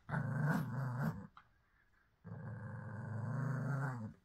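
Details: Indoor pug giving a gravelly growl of about one second, a short silent pause, then a longer, steady two-second rumbling growl.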